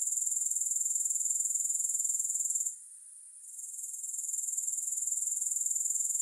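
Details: Continuous grasshopper sound, a high fizzing trill of fast even pulses, interrupted once by a short quiet gap midway before returning at the same pitch, no music.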